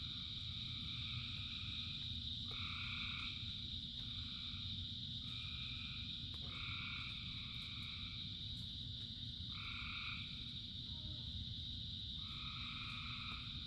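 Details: Thousands of frogs singing in rain. Drawn-out, two-toned croaks of about a second each repeat roughly eight times over a steady shrill chorus and continuous rain hiss.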